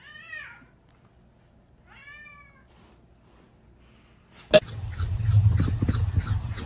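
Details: Domestic cat giving two separate arched, harmonic meows about two seconds apart in a quiet room, then a sharp knock and loud, busy background noise taking over.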